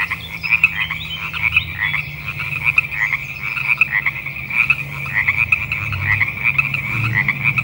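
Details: In early spring in the Pacific Northwest or Northern California, a dense chorus of Sierran chorus frogs keeps up quick two-part creaking ribbits that overlap without pause.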